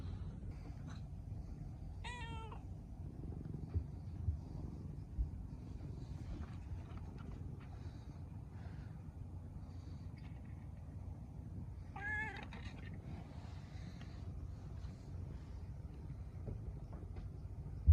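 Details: Cat mewing twice, a short bright meow early and another ten seconds later, with faint small chirps between, all over a loud continuous low rumble.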